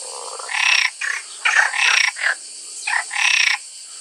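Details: Frog calling in harsh, buzzy croaks. Seven bursts come in about four seconds, some long and some clipped, over a constant high hiss.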